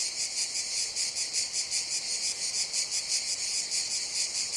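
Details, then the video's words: Summer jungle cicadas keep up a shrill, unbroken buzz that throbs in regular beats roughly three per second, filling the high range while the low range stays quiet. "CICADAS BUZZING SOUND"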